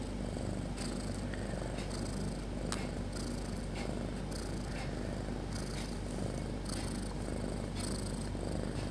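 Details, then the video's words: Pet cat Snopi sleeping beside her kittens, producing a steady throaty rumble with regular breathy bursts about once a second and a brief click near the middle. "The Cat Snoring So Loud"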